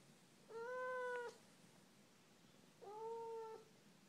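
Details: Chatty female Siamese cat indoors, talking: two clear, steady meows, each about a second long with a slight rise at the start, separated by a short pause over a low background hum.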